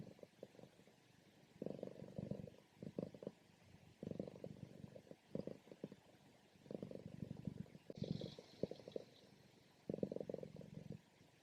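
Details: Sleeping female domestic cat during a morning nap, loud buzzy purring and snoring in regular bursts roughly every second, each swell coarse and rumbling, otherwise quiet.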